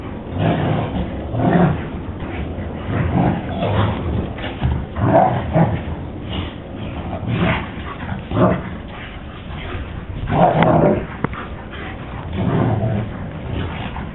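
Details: Playing together in the first snow of the year, two German Shepherds give repeated gruff barks and growly yips roughly every second or two, loud then fading, against a low background rumble.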